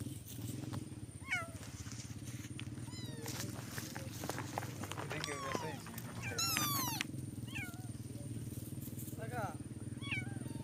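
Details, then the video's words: Cat meowing repeatedly in short, bending cries, some rising and quickly falling, mixed with people talking nearby over a constant low hum. "cat voice||بلی کی آواز||cat ke awaz"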